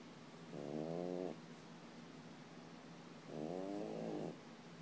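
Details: Sleeping French Bulldog snoring indoors: two long rasping, harmonic-rich snores, each about a second long, separated by quiet breathing pauses in a still room.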